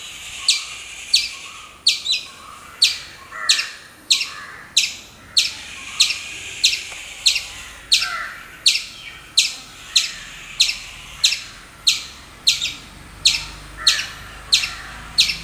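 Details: Squirrel calling in a steady series of sharp, broadband chips, roughly one and a half per second, each a bright click-like burst with a quick fade, over faint background hiss.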